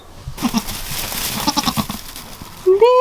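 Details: Newborn goat kid, a spotted little female with flashy ears, gives a loud, rising, nasal bleat at the end, after a woman's admiring talk.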